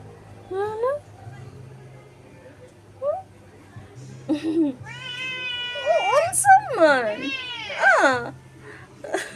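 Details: A young male kitten that wandered over meows while asking for food: several drawn-out, wavering meows, some rising then falling, come in a loose series, with a person talking and cooing nearby.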